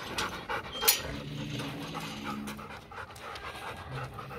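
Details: German Shepherd and Labrador cross dog at playtime, breathing in quick open-mouthed pants, roughly one and a half per second, with a sharp click early on and low background hum.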